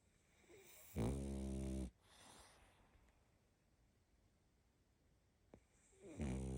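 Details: Sleeping pug puppy, female, snoring: a deep buzzy snore around the first second, a faint breath afterwards, then a long hush before the next snore starts near the end.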